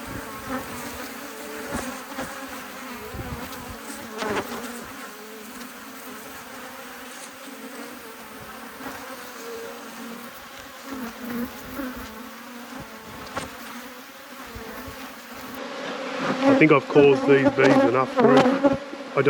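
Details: Honey bee colony in an apiary during an inspection. A soft, continuous hum of many bees stays level for most of the clip. Louder buzzing swells near the end as bees fly close.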